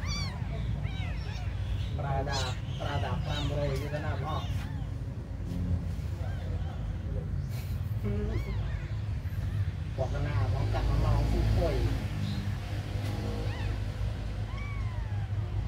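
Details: Tiny abandoned kittens crying in high, thin meows that arch up and fall, in bursts at the start, middle and end, over a steady low rumble with voices talking nearby.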